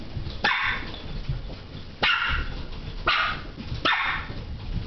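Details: Westie terrier barking excitedly at a light: four sharp, bright barks, roughly one every second, with a quiet room in between.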